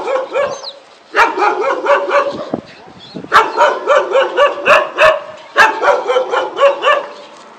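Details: Pinscher dog taken out for a walk, giving quick runs of high, sharp yips about four per second in bursts separated by short pauses, with faint background noise between bursts.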